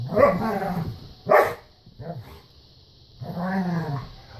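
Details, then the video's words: Standard poodles at play: a rough, harmonic growling bark, then a sharp yelp, a brief low grunt and a longer rolling growl-whine near the end. A steady high hiss runs underneath. "Standard poodles at play"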